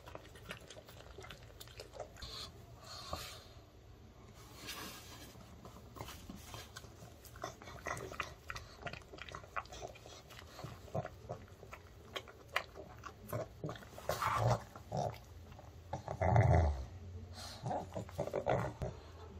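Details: Pug Ttungi, male, chewing dog-safe homemade chicken indoors in early summer; steady wet mastication and crunchy bites for most of the stretch, rising to a heavy snorting, crunching burst toward the end.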